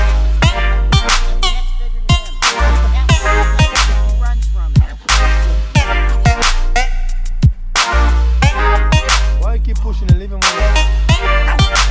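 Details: Loud hip hop track with heavy bass, beats and rapped vocals, with no animal sounds.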